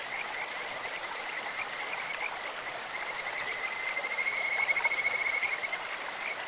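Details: Kajika frog calling in a clear stream: a bird-like run of rapid pulsed notes that rises in loudness and pitch from roughly the fourth to the sixth second, over steady rushing water.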